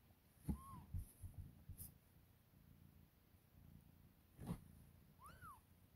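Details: Newborn kittens, two days old, fighting to feed on milk: two short, high, arched mews several seconds apart among soft bumps, snuffling and handling noises.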